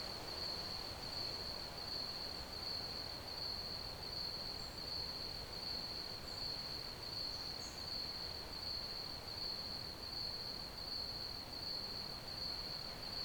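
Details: Steady cricket chirping for sleep, a shrill, evenly pulsed trill at one high pitch running throughout, with soft broadband hiss and a couple of faint brief high notes.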